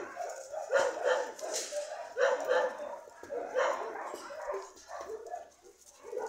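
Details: Dogs barking and yelping in short, overlapping bursts of mid-pitched, harmonic calls, with louder peaks roughly every one to one and a half seconds and a steady murmur between them.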